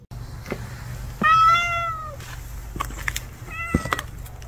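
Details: Stray cat hiding and waiting for a chance to eat gives one long, clear, slightly falling meow lasting about a second, then a shorter, softer meow near the end, over a steady low hum and scattered clicks.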